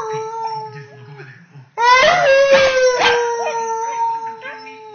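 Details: A female Pembroke Welsh Corgi, nearly 10 months old and just finding her voice, howls in a long, wavering, tonal note that slides gently downward.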